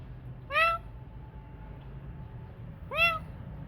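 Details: Kitten taken in off the street and now recovering: two short, clear meows about two and a half seconds apart, each sliding upward then falling, against a quiet low hum.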